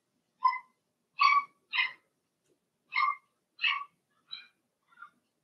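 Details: Blenheim Cavalier King Charles Spaniel puppies from Remy's first litter of six, two girls and four boys, in a home puppy pen during potty training; seven short, bright harmonic yelps in irregular bursts, otherwise quiet.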